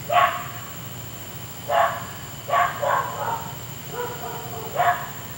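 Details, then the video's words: A neighbour's dog barking late at night, heard for an hour; irregular sharp barks with a pause, then a cluster of quicker, rougher barks trailing into softer yelps, over low hum. "Noisy Dog"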